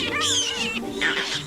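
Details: Vervet monkey. Vervet monkeys join a chorus of alarm calls, bursts of high, sweeping chirps and chatters that rise and fall quickly. They gang up to drive a leopard away, while low sustained music plays underneath.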